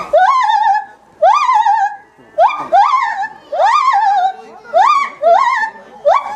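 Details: A 10-year-old male lar gibbon at Maruyama Zoo, Hokkaido, Japan, calls outdoors in fine weather in January, giving loud, rising hoots that swoop upward and fall back about once a second, echoing through the zoo.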